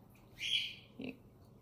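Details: An Alaskan Malamute, one of three related family dogs resting together on a beanbag, where a mother in false pregnancy nurses a stuffed toy, gives a thin, high-pitched whine, then a brief lower whimper.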